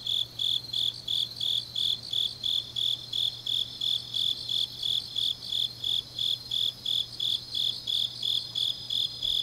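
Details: High, regular chirping of grass insects on an autumn night in Changnyeong, South Gyeongsang, pulsing close to three beats a second over a faint shimmering chorus and steady low hum.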